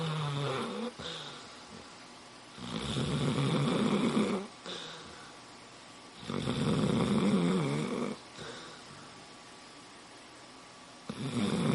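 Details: Sleeping dog snoring indoors: long rasping, rumbling inhalations lasting about two seconds each, separated by quieter pauses, repeating in a slow steady rhythm.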